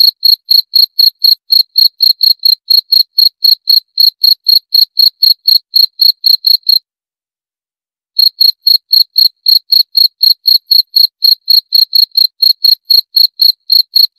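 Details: Shrill cricket chirps repeat about four times per second, stop for roughly one and a half seconds, then return unchanged against total silence.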